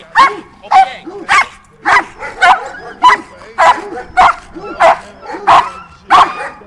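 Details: Doberman Pinscher in Schutzhund protection exercises, barking steadily and forcefully: about eleven strong, evenly spaced barks, one every 0.6 seconds, throughout the clip.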